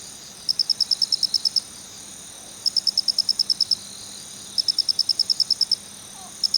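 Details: A male Phonarellus ritsemai cricket calls 'kichi-kichi' in three evenly spaced bursts of about ten bright, rapid ticks, each lasting about a second, with a further burst starting at the end and low background hiss.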